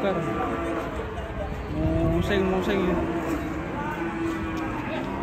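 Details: Cow raging over a rope tightened around its neck moos hoarsely and drawn-out amid a crowd of people talking and general outdoor noise.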